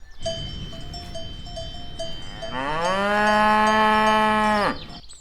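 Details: Cows walking, with a cowbell clanking steadily throughout, then one long, loud, steady moo lasting about two seconds with a slight upward start.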